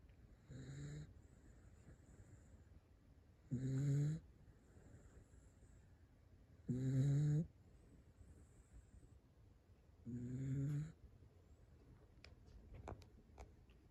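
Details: Sleeping Toy Poodle snores four times, about every three seconds, each a short buzzy nasal rasp with a hissing edge, softer breathing between, and a few light clicks near the end.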